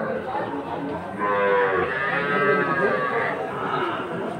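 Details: Farm-suitable Sahiwal bull calves and cattle bought by Jessore farmers, Bangladesh, 13 March 2023: one sustained, wavering moo of about two seconds rises over a background of voices and bustle.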